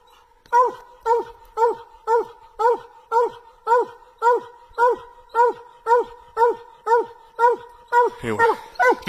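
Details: Bluetick Coonhounds barking treed at a tree: a fast, regular run of short, clipped chop barks, about two per second, steady hum behind, a person talking at the end.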